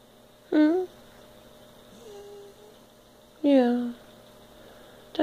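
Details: Zara, a house cat relaxing on a couch, lets out two clear falling meows about three seconds apart, each bright and harmonic at the start and trailing lower, with a soft murmur between them in a quiet room.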